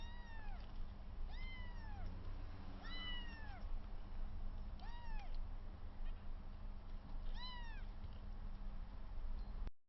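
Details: Three 22-day-old kittens, rescued with the placenta still attached, play together for the first time while the slightly larger one tussles with the other two. High, thin mews arch up then fall, six or so spaced across ten seconds, over a steady low hum.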